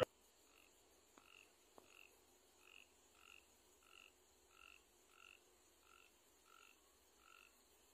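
A frog calls in short, nasal croaks repeated steadily, roughly every three-quarters of a second.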